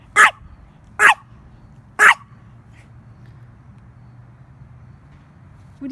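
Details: Chihuahua puppy Roscoe, encountering his first cicada, lets out three quick high yaps roughly a second apart, then falls quiet amid low background hum before a faint sound at the end.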